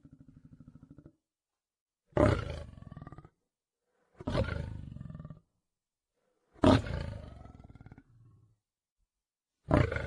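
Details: Lion in the wild opens with a low pulsed growl, then bellows four loud gravelly roars roughly every two seconds, each decaying into a rough rattle.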